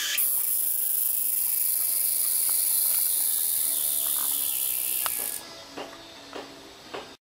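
A tsukutsukuboshi cicada gives a shrill, continuous high buzz that holds steady for about five seconds before stopping suddenly. Afterwards only faint clicks and quiet background noise remain.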